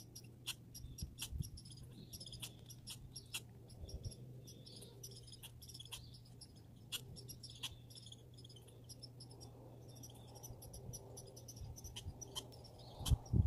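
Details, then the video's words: Grey and red squirrels in a backyard uttering quick high-pitched chips and squeaks in irregular runs, with a low hum and a few louder thumps at the end. "Grey & Red Squirrel Sounds"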